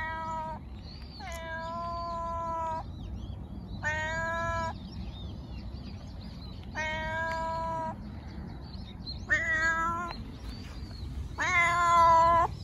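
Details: Domestic cat meowing, offered as meows to attract cats and draw out hiding pets: six harmonic, drawn-out meows of varying length, roughly one every two seconds, with faint chirping birds in the background.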